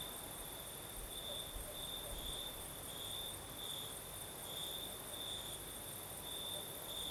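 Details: Night chorus of crickets in the south of Crimea, breeze blowing: continuous high-pitched trill swelling into brighter pulses roughly every half second, with a thin higher insect buzz and low rustling wind underneath.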